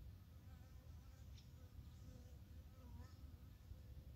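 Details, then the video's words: Early-morning Japanese honey bees on 12 April 2021, with plum blossoms in bloom: a soft, low, continuous buzzing drone, fairly even in loudness, with faint bird notes above. "早朝の日本ミツバチさん Japaese honey bee in the early morning."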